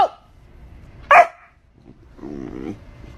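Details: Dog from a funny pet compilation letting out one sharp, loud bark, followed by a lower, rough, drawn-out vocal sound and a quiet room with a person talking nearby.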